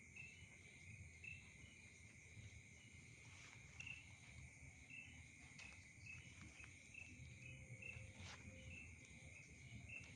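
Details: At night, insects keep up a constant high trilling hum, with short chirps repeating roughly every half second and a faint steady tone appearing late, over low background rumble.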